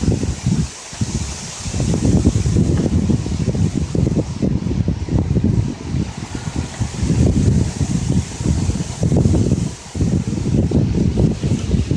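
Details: Heavy wind buffeting the microphone in low, uneven gusts throughout, with no animal sound standing out.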